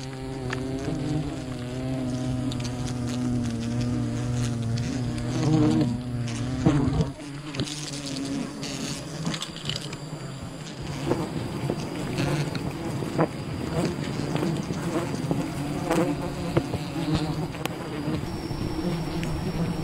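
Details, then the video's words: Wild bee colony buzzing during honey hunting, a dense steady hum of many bees with a low droning tone and overtones, rustling and crackling handling noises throughout, a brief drop in the hum around seven seconds. "Wild bee honey hunting"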